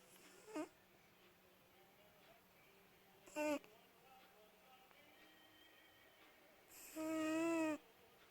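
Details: Шанелька, a mother cat of many kittens, snoring indoors at night: three short, tonal, nasal snore bursts a few seconds apart, the last longest and loudest, over a quiet room hum.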